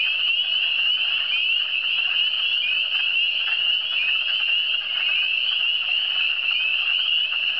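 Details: Eastern Townships frogs in full chorus: countless brief high-pitched rising peeps blend into one continuous ringing sheet of sound, steady in loudness throughout, with no wind, water or voices.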